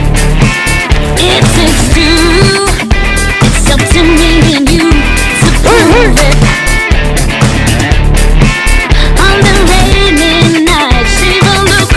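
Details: Loud rock music with strummed guitar, steady beat and singing fills the recording throughout, with no animal sound.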